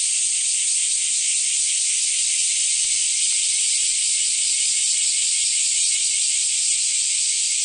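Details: Cicadas singing at Kyoto's Kiyomizu Temple in summer 2008. A steady, intense high buzz with a fast shimmering throb keeps going without a break.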